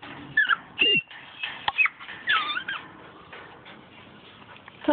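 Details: Miniature Schnauzer puppies, a small dark salt-and-pepper female and a small light salt-and-pepper male, meeting adult schnauzers during weekend socializing; high squeaky whimpers and yelps in quick bursts, with human speech mixed in.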